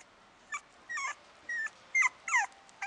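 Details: Maltipoo puppy, a Maltese father and toy poodle mother cross, kept at a pet shop in Amagasaki, Japan; six short high whimpering yips, thin and whistle-like, some rising then falling, spaced irregularly about every half second.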